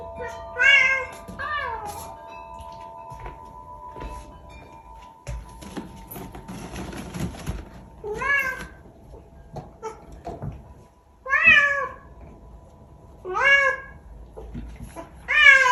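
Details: Vocal indoor Bengal cat making weird sounds: a run of short, wavering meows at uneven gaps, about six in total, with background music, a burst of rustling noise midway and a person speaking.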